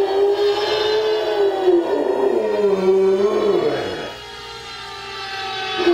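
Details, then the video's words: A male Rottweiler howls in long, wavering tones that slide downward, answering a siren played from an iPod. "Rottweiler Howling At Siren"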